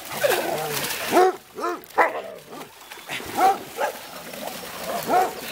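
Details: Dogs at a dog park in Amsterdam, Holland, including the basset hound Darco and Scooby Doo: short arched barks and yelps in uneven bursts about once a second, with faint voices in the background.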